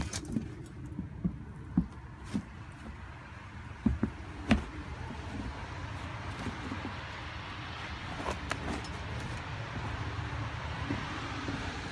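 A steady low outdoor rumble like distant traffic, broken by scattered knocks and clicks, with no animal voice.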